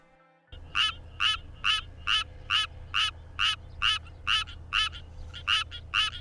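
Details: An endemic, endangered Korean Suwon treefrog gives a high, rasping mating song, repeated steadily about twice a second. The song tells it apart from a similar-looking treefrog. It was recorded among frogs singing in the evening.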